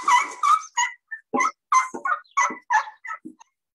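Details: Asian elephant. Several Asian elephants squeak together, producing short, high, reedy calls in quick succession, some rising and some falling. These squeaks come in bursts every third of a second or so, with brief silences between.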